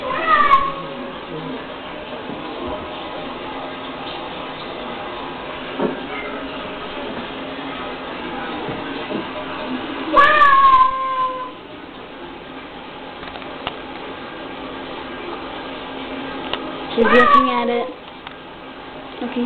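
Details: Pet cat reacting to a recording of her own screams, three loud harmonic meows around half a second, ten and seventeen seconds, each falling at the end, with a person speaking quietly between them in a small room.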